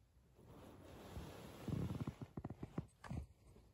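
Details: Senior 12-year-old fawn female pug, a pet indoors in Japan, recorded on 14 November 2022 around 23:00. Soft breathing builds into a run of short, irregular snorting grunts, about ten low pulses in quick succession, in a quiet room.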